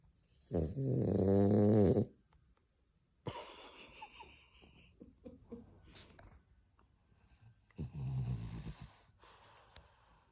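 A French Bulldog snores with loud, rasping, buzzy inhalations, each drawn out and rattling low in the throat. Quieter snuffling breaths fill the pauses between the bigger snores.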